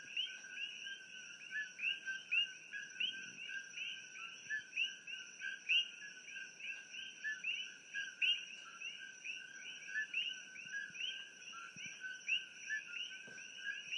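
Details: A pitch-black night chorus of coqui frogs (Eleutherodactylus coqui) heard from a room in Hilo, Hawaii: sharp two-note chirps repeating quickly over a steady high insect whine.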